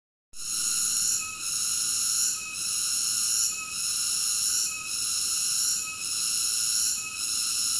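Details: Cicada singing a loud, steady high buzzing drone with layered tones, swelling and dipping briefly roughly every 1.2 seconds, with no other sounds.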